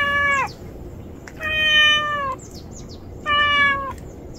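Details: Street cats, a mother with kittens sheltering in a rubbish pile, give three separate meows, each about half a second, level then falling at the end, spaced roughly a second apart, with faint ticking sounds between.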